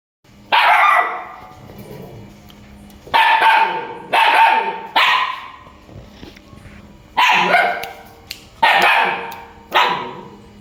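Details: Loud dog barks, six in all, sharp and rough, given singly or as quick doubles with pauses of one to two seconds between them.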